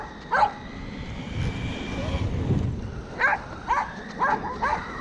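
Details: While chasing a Kuroneko Yamato remote-control car, the corgi Roku gives a single bark, then a pause filled by the car's whirring motor, then four quick barks in a row.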